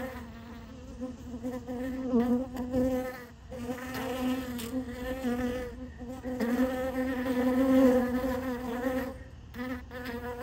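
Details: Crowded honey bees drinking sugar water from a piece of honeycomb, a continuous droning hum with rising and falling buzzing as bees fly close, swelling strongest near eight seconds.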